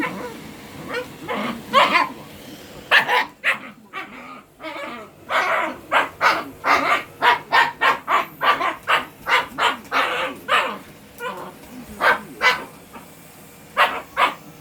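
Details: Shiba Inu barking at a vacuum cleaner, a long run of harsh, rapid barks about twice a second with a few short pauses, loud and insistent throughout, with a faint steady hum behind.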